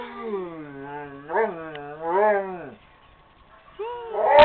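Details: A female Rottweiler, lying on a couch, howls in long, wavering tones that swell and dip, a drawn-out doggy singing.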